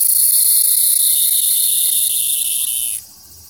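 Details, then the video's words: In summer, a Walker's cicada (tsukutsukuboshi) on a second-floor window screen gives a loud, steady, high-pitched buzzing song that cuts off abruptly. "２階の網戸に「ツクツクボウシ」の巻！"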